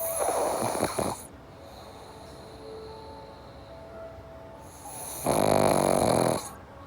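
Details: Loud, gravelly snores from a sleeping pug, from a home with pugs Jaba and Morgan: a long rattling snore at the start and another about four seconds later, with quiet breathing and a faint tonal hum between.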